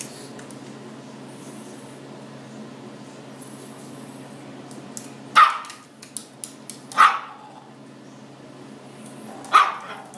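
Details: Chihuahua mix indoors, trying to get at a blue lobster in a fish tank: three sharp, high barks spaced a couple of seconds apart after a quiet stretch, with a steady low hum from the tank throughout and a few clicks.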